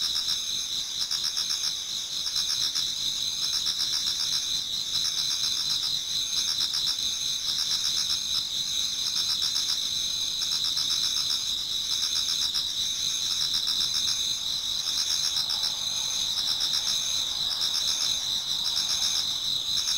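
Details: Many autumn insects sing together in a Japanese garden towards dawn: a dense, continuous high ringing band with pulsed trills layered over it, steady throughout, no other clear sounds.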